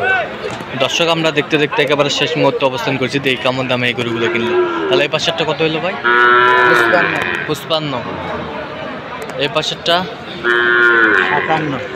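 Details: Sahiwal bull calves bought by a farmer in Khulna, Bangladesh, on 7 January; two drawn-out, harmonic moos rise and fall over a busy background of men talking and crowd chatter.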